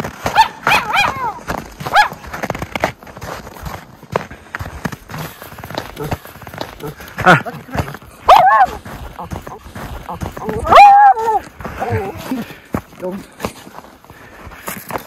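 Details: Two Miniature Schnauzer brothers, Lucky and Levi, playing in deep snow tunnels in winter; scattered yips and barks, including a longer, wavering bark near the end, over a person's speech and snow-crunching steps.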